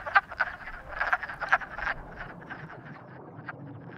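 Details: Frogs croaking in courtship, a few loud clicky croaks in the first two seconds then softer scattered calls fading out.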